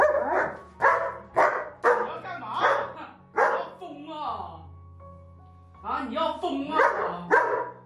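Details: Pet German Shepherd grumbling and barking at its owner after being told it was mealtime without getting food; rough barks in quick bursts, a pause, then more yelps and whines over soft background music and a woman's voice.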